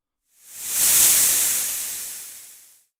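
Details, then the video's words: A snake in a textbook listening exercise, a single breathy hiss of about two and a half seconds, rising quickly to full strength and then slowly dying away, bright and high with no tonal parts. "That sound is a snake."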